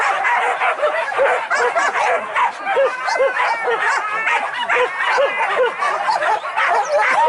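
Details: Trained hunting dogs pursuing wild boar during an organised hunt in Banten, Indonesia, barking rapidly in quick uneven bursts, many dogs overlapping with shrill yelps, and people talking in the background.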